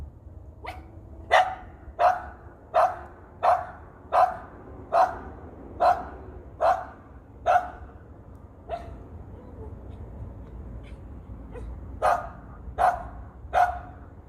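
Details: Dog obsessed with a big bird high in a tree barks steadily, roughly one bark per second, in a long run that pauses briefly and then resumes with a few more barks.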